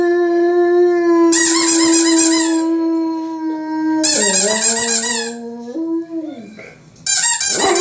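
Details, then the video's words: Pet German Shepherd, a male, singing to a squeaky toy: a sustained, even howl runs under repeated bursts of shrill squeaking, dips lower during the second burst, then wavers and breaks off before the squeaks resume. "German Shepherd howling"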